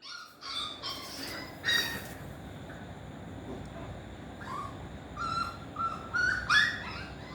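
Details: Pomeranian puppy at play, giving short high whimpering whines and yelps in scattered bursts, some rising and bending, with quiet gaps between them over a soft background hiss.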